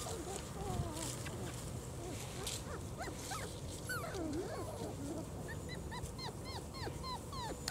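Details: Litter of four-week-old German Shorthaired Pointer puppies outdoors for the first time on December 1st, 2009; high squeaky whimpers and short falling yelps come in quick succession, with a low wavering whine midway over steady background hiss.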